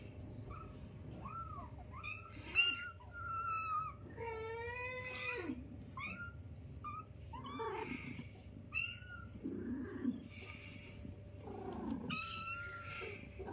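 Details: High, thin meows from newborn kittens at play with their mother: a busy run of short, overlapping cries, some wavering and drawn out, others clipped, against a constant background hum.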